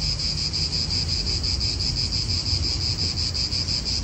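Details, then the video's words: Cicadas in an Italian park: a dense, high, buzzing chorus pulsing about three times per second without a break, over a low rumble of wind. "Cicadas wind real atmosphere in an Italian park"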